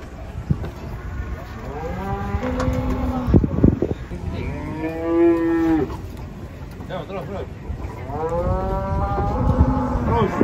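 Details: Cattle being unloaded from a truck, three head, with a calf nearby: repeated loud, drawn-out moos, arching in pitch with rich harmonics, several overlapping, while a handler calls out encouragement and others shout.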